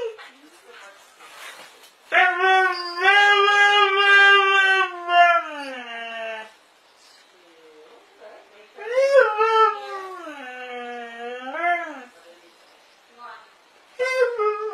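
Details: Dogs arguing, trading long, drawn-out, harmonic howl-like moans that waver and bend in pitch, two sustained bouts of several seconds each separated by quieter whimpers, with a short rising cry at the end.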